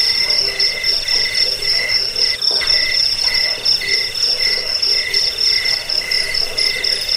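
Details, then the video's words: Insistent cricket chirps, meant for chasing off rats and tutoring caged birds. Clipped high pulses come in quick trains, with short gaps between bursts, over a thin constant shrill tone from other insects. "Suara jangkik"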